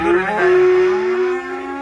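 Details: Black sacrificial cattle unloading from a truck; a single steady, droning moo with a rich harmonic stack, held level for over a second before fading.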